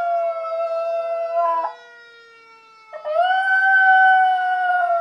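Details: Schnauzer howling along with a fire siren: a sustained tonal howl held at a nearly steady pitch breaks off, then after a short pause resumes with a rising onset and holds again, over the siren's long steady wail.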